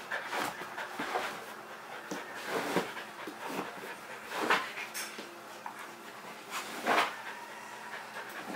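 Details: Leroy, a pet Kerry Blue Terrier wanting to play, gives breathy panting puffs with a few louder sharp huffs standing out every two to three seconds, in a small indoor room.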